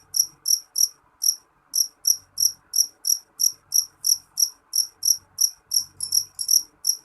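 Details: Jeliteng cricket giving loud, piercing chirps in a quick regular series. A brief hitch early on breaks the rhythm before the pulses run on, a few crowding closer together near the end. Soft low rumbles are faintly audible.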